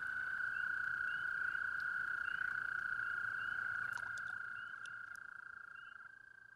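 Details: Nighttime pond in mating season: a toad's long, unbroken pulsing trill fills the clip and slowly fades, with fainter trills of other toads and a few light clicks in the background.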